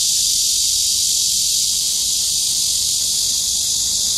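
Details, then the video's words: Cicada song: a steady, loud, unbroken high-pitched buzzing drone filling the whole stretch without pause, with no other sounds standing out. "매미의노래 / 매미소리"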